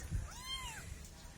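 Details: Kitten giving a single clear meow, a smooth high arched tone that rises then falls over about half a second, with soft low rumbling handling noise underneath.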